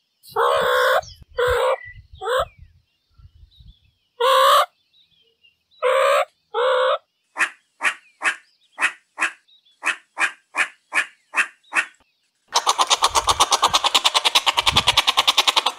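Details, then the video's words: Meerkat vocalizing: a run of loud harmonic squawks, then evenly spaced short sharp chirps about every half second, ending in a rapid buzzy pulsed trill that lasts several seconds. "Real Meerkat Sounds"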